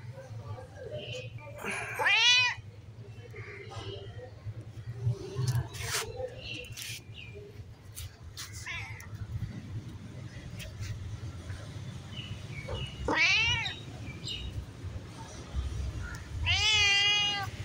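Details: A stray white cat wanting to play gives loud, drawn-out meows with a rising then falling pitch, three main calls spread across the recording, with a person talking softly and a low steady hum underneath.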